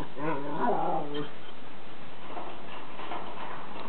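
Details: Six-week-old Brittany Spaniel puppy Hugo, being spear tackled in play by Milli, a Sheltie/Chihuahua mix: a rising-then-falling harmonic whine lasting about a second, followed by soft rustling and faint human voices.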